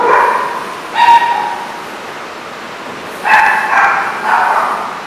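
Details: Dogs at a kennel-type facility in Rhode Island, recorded January 31, 2014: a few separate barks and yips, one near the start, one at one second, then two more around three and four seconds, over a steady background hum.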